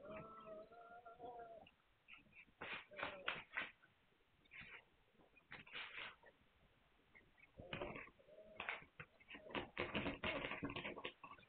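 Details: Hungarian Vizsla puppies recorded on 9 March 2021: a steady harmonic whine opens the first second and a half, followed by scattered clicks, scuffles and short squeaky bursts.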